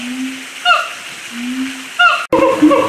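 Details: Two very vocal siamangs, side by side high in a tree in their habitat at Audubon Zoo, New Orleans, call with low drawn-out hoots broken by sharp, ringing barks.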